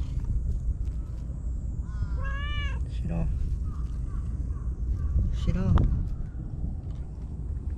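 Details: Meows from Shiro, a white stray cat living alone among seaside tetrapods in Japan, giving an eager welcome: a wavering drawn-out cry, a brief second note, then a rising and falling meow seconds later, between calls of 'come, Shiro' over steady background hum.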